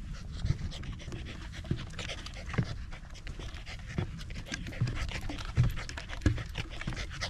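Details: Quick, rhythmic breaths from a corgi on a sunny autumn hike up a rural mountain overlooking the central Japanese Alps and Ina Valley, before the leaves had changed. Soft panting continues without pause, with a few sharp clicks.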